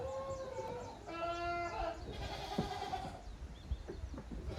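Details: Young goat kids romping in the exercise yard at Yoshigake goat farm on 30 April 2023. Two drawn-out, wavering bleats sound in quick succession, followed by shuffling, hoof thuds and scattered clatter from the playing animals.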